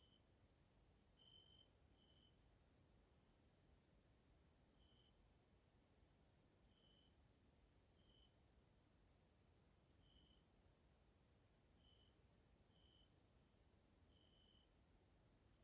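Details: Evening grasshopper sounds from a nature area in Hungary, Central Europe: a persistent high-pitched shimmering hiss with soft short tonal pips repeating irregularly every one to two seconds.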